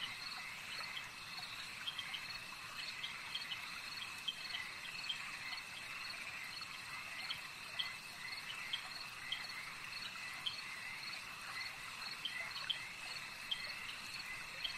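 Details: Frogs at a lake keep up a steady, shimmering high chorus, scattered quick chirps and clicks rising from the blended trill now and then, the whole scene faint and evenly sustained.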